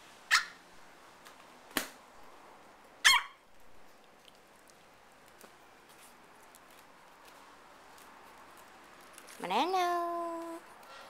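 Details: Tiny AKC micro teacup poodle from a family of Alabama-bred dogs living in Hong Kong lets out three sharp, high yips about one and a half seconds apart, then a drawn-out falling whine-like voice near the end, indoors.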